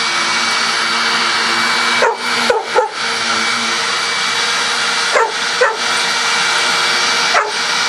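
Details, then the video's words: Coco, a household dog, barks at a vacuum cleaner. There is a quick double or triple burst of barks, then a pause, two more barks and a final single one, all under the steady vacuum motor roar. "Coco Barking at Vacuum Cleaner"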